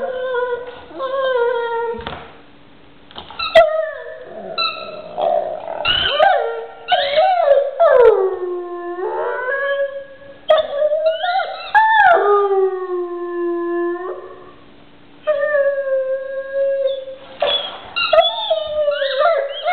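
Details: Pet dog howling over its toy in a long series of expressive howls, swooping down and up in pitch, some held steady, broken by brief pauses, with no other sounds.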